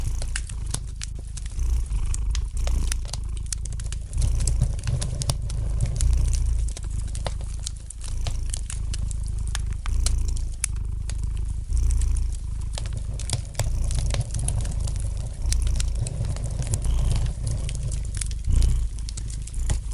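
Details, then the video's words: A cat's soft, unbroken low purr runs steadily under the light crackle of a fire in the fireplace, the rumble pulsing in slow waves as frequent bright pops and snaps scatter across it. "Relax to the gentle purring of the cat and the light crackling of the fire in the fireplace!"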